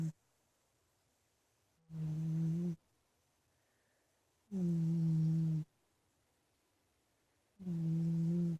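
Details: Big house cat Ninnie asleep in his bedroom, giving deep, tonal, droning snores lasting about a second each, repeated roughly every three seconds in a quiet room.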